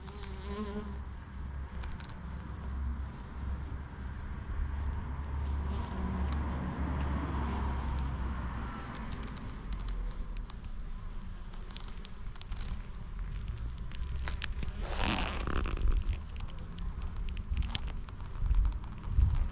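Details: Honey bees collecting nectar and pollen from white lavender; a low continuous buzz with bees flying past the camera, plus scattered crackly squeaks from leather beekeeping gloves handling the camera.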